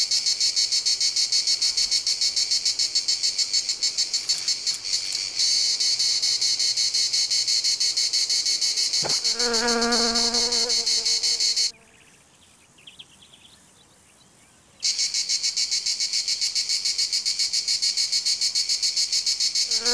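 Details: A cricket trills in fast, regular, high-pitched pulses, roughly three or four per second, with a brief lower tonal sound and a few seconds of near silence midway before the chirping returns.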